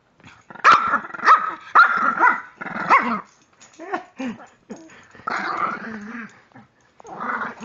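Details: A 3-year-old female Pekingese at play with a person makes silly noises: a run of rough, growly barks and grumbles in quick uneven bursts, some clipped and some drawn out, rising and falling in pitch, with brief pauses between.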